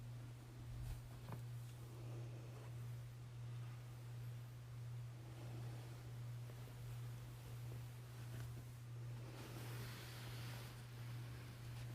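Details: A steady low electrical hum runs beneath soft wind-like rustling and scattered faint knocks, with no animal voice heard.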